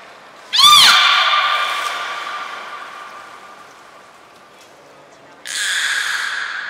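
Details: A beluga from the trio Hodoi, Taanya and Mirai, under training at Port of Nagoya Public Aquarium on 1 November 2020: one sharp swooping cry that settles into a long fading tone, then a brief noisy rasping burst.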